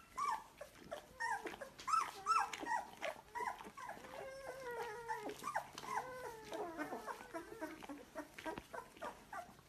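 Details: Several Labrador Retriever puppies in Delhi whimpering and yelping together: dense, tonal, bending whines rising and falling, many overlapping voices in a continuous stream, over a low background hiss and hum.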